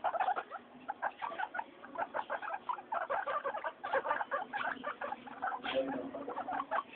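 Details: Guinea pigs Mayumi, Archie and Miyuki, noisy during weekly floor time, give a dense run of short chirpy calls. The calls come in rapid clusters several times a second, with brief pauses between bursts.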